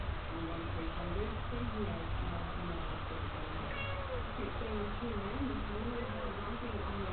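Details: Selkirk Rex cats Woody and Winnie, a bonded three-year-old pair kept as house cats in Australia; a few drawn-out, wavering meows rise and fall beneath ongoing human talk and a steady low hum.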